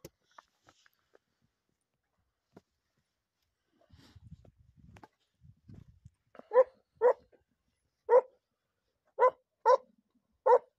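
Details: Segugio hound in training on hare, recorded 28 February 2022; after some faint rustling and quiet sounds, six loud, strong barks come in the last half, spaced about one second apart, with no other sounds.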